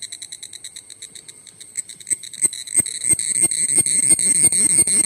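A cicada sings close by: a shrill, ringing buzz that throbs in quick, even pulses. Toward the end, sharp clicks and knocks break in over the steady drone.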